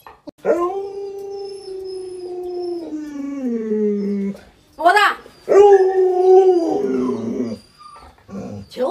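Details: Pet Alaskan Malamute Lolo howls at home while a person talks around him. A long, steady howl of almost four seconds sags gradually lower. A short rising yelp follows, then a second sustained howl of about two seconds.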